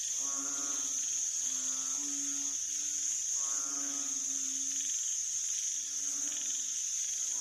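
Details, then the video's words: Banded bullfrogs recorded 18 September 2023, giving repeated low, droning, harmonic moans roughly every second or two, some overlapping, beneath a constant shrill whine of crickets and other insects. "อึ่งอ่าง อึ่ออ่าง เสียงร้อง"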